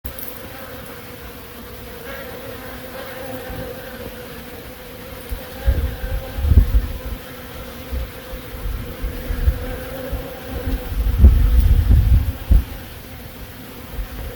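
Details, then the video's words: Honey bees in Himachal Pradesh, India: a steady droning buzz with a low hum and a higher whine, rising and falling as insects pass near, over heavy low rumbling bursts, likely wind or handling, in the second half. "Honey bee sound effect"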